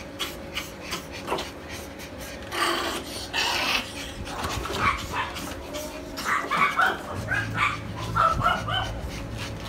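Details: Poodle in Tan Binh District, Ho Chi Minh City, Vietnam, at a dog breeding place, giving short irregular high yips and whimpering bursts in two clusters, with a low steady hum and background clatter.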